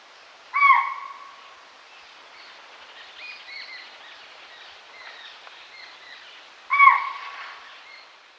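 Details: In a forest, a deer calls to the herd with two short, clear tonal calls about six seconds apart. Soft bird twitters fill the gap between them.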